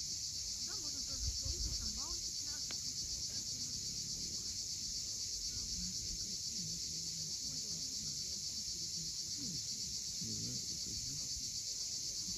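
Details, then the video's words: Cicadas at sunset on the steep coast at Cape Fiolent, Crimea: a continuous, steady high-pitched buzzing drone with a fast pulsing texture, over low murmuring sounds from the shore below. "Cicadas at sunset."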